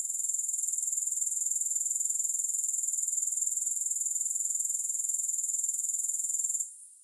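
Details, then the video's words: Grasshoppers sing a relentless, high shimmering trill with no music, beating about four times a second for over six seconds, then stopping abruptly into near silence. "Grass Hopper Sounds"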